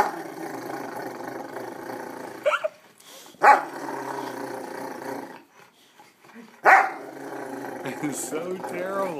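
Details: Rottweiler Newfoundland mix dog (Canis familiaris), growl: expressing happiness and affection toward its owner.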